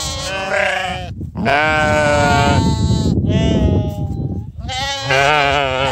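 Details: Flock of sheep called for breakfast, giving loud, long, quavering bleats that overlap almost continuously, with brief pauses between cries and faint background rustle.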